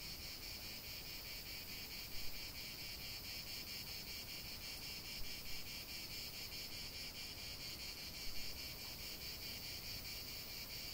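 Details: Cicadas singing in a continuous natural chorus, a steady dense buzzing drone concentrated high in pitch, unbroken throughout with only a few faint brief knocks in the background.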